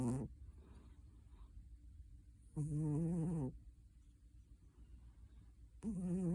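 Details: Cat snoring while asleep, with deep raspy buzzing breaths that are low and steady. One ends as the clip opens, one long snore comes in the middle, and a third starts at the end, separated by near silence.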